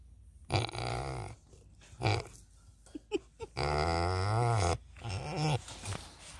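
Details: Charlie, a pot-bellied pig at an animal sanctuary, gives low, drawn-out contented grunts while being petted.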